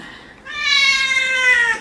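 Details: During an indoor claw trim, the house cat Kkotjjang, noted as unusually rebellious today, gives a long drawn meow starting after a quiet half second and sliding gently downward in pitch before fading.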